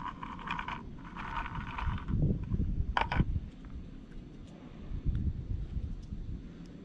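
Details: Hungry stray cat named Jeombagi, for the spot on its back, eating greedily from food set out at a company warehouse: crunchy chewing bursts through the first two seconds, sharp clicks near three seconds, over a steady low outdoor rumble.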